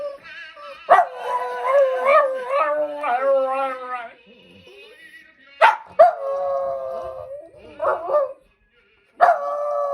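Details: Puppy howling, drawn-out wavering tonal notes that rise and fall, several long howls broken by short sharp yelps, then a sustained steady howl near the end; the room is otherwise quiet between calls.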